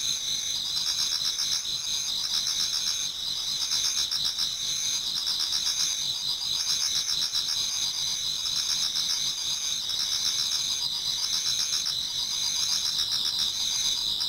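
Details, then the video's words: Toward dawn in autumn, many insects chorus in a Japanese garden: layered shrill trills hold steady throughout while quick rhythmic chirps pulse beneath them, about four pulses per second. "Autumn Insects voice Towards dawn"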